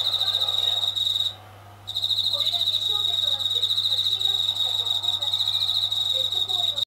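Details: Night song of a Japanese katydid living near a kitchen ceiling and unafraid of people, growing louder with running tap water; a shrill, finely pulsed buzz pauses for about half a second early on, then continues steadily over a low electrical hum.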